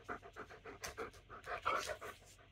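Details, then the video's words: German Shepherd shortly before dinner, demanding to be fed, breathing in rapid, rhythmic panting of about four breaths per second, steady bursts with one slightly louder huff midway, no other clear sounds. "My German shepherd is such a demanding doggo"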